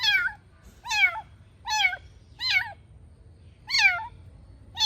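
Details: Small kitten at play in a house, calling with high, slightly wavering meows about once every second, each short and bright with a dip at the end.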